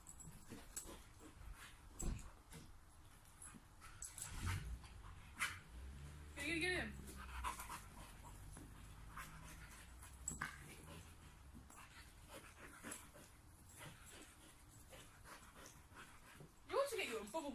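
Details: A sprocker spaniel leaps around attacking bubbles, giving scattered sharp barks and excited panting, with a person speaking nearby.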